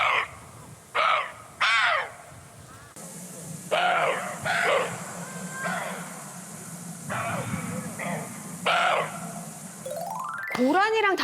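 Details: Siberian roe deer on Jeju Island give harsh, dog-like alarm barks when feeling threatened, short rasping blasts repeated at irregular intervals.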